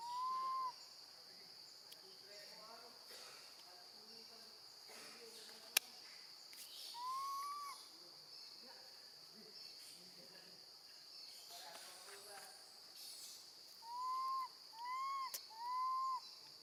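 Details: Young female monkey screaming for her absent mother while alone with her grandmother: short arched whistled cries at the start and middle, then a quick run of three near the end, amid scattered clicks, rustling and a steady high hiss.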